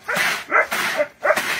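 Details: Female pet basset hound on a hobby farm in Oberlin, Ohio, playfully squaring off with a duck; drawn-out, howling bay-like barks, three long harmonic cries separated by short pauses.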